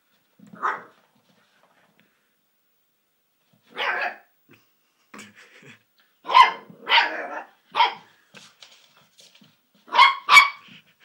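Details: Golden cocker spaniel puppy, excited by a new squeaky toy indoors, letting out short sharp yelping barks at irregular intervals, several coming in quick pairs, with quiet pauses between bursts.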